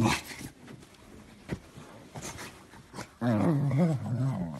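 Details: Beagle puppy in an indoor setting; muffled thumps and handling noise give way to a low, wavering growl-like whine that rises and falls for the final second and a half.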